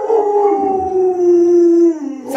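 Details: Alaskan Malamute Luoluo, a pet spoiled by grandma, holds a steady, even howl for about two seconds, slightly sliding down at the end, followed by a brief rustling noise.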